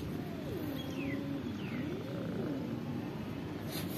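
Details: Cats and kittens living at a pagoda meow to ask for food: two drawn-out meows with a sliding, falling-then-rising pitch, over a steady low background hum.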